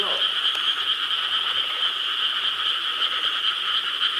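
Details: A dense chorus of frogs croaks together in a steady, unbroken wall of rapid calls in Korean rice paddies on a summer night, 4 July 2013.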